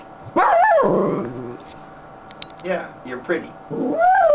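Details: Female Schnauzer, happy on her owner's lap, opens with a loud rising-falling howl, then quiet while a person speaks softly, ending with another rising wavering call.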